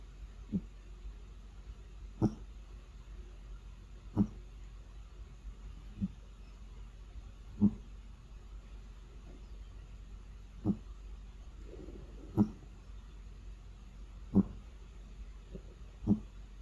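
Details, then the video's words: A sleeping domestic cat snoring, unedited: short soft snorts with a low buzzy core, repeated roughly every two seconds in a quiet room. "코골며 잠자는 고양이 Sleeping Snoring Cat"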